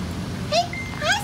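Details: Doberman whimpering during a training session: a short high rising whine followed by a second thinner whine a half-second later, over a low engine-like hum.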